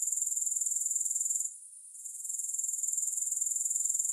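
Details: Grasshoppers in a continuous, very high, shimmering trill made of rapid pulses, dipping briefly to near silence around the middle before resuming at full strength; no music or other sounds.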